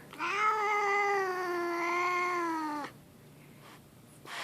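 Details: Grumpy pet cat named Leo giving a long, drawn-out caterwaul out of the blue indoors, one steady moaning yowl lasting nearly three seconds, rich in harmonics and dropping slightly at the end before falling quiet.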